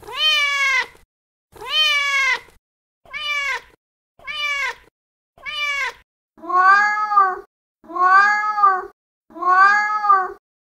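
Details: Female cat in heat calling for a male: eight arched meows, the first two long, three shorter ones, then three lower, rougher, more nasal cries, spaced about one to one and a half seconds apart.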